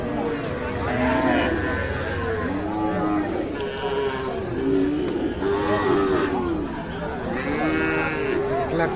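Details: Sahiwal calves at the Ambari cattle market in Parbatipur, Dinajpur, Bangladesh, on Friday 3 January 2025: several low, arching moos rise and fall across nine seconds over steady crowd chatter and haggling voices.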